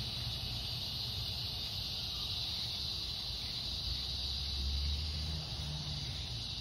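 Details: Cicadas droning in the fading light of a summer evening on August 4, a steady high buzzing hiss that never breaks, with a low rumble of passing traffic underneath.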